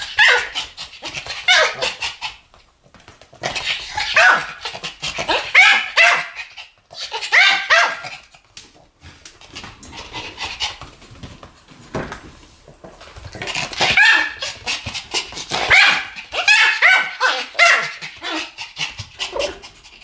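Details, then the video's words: Two Pomeranians barking together in a duet, bursts of rapid high yappy barks in clusters lasting about two seconds, separated by short pauses, with sharp repeated yips throughout. "ポメラニアン Pomeranian デュエット吠え 1000回 犬の鳴き声"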